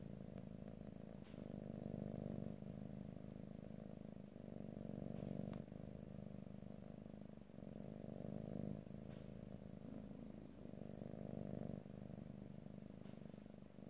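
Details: Pet cat purring in stereo, ear to ear, without talking; deep continuous rumbling purr that alternates louder and softer phases roughly every one to two seconds with the breath, over a faint constant high-pitched hum and occasional soft clicks.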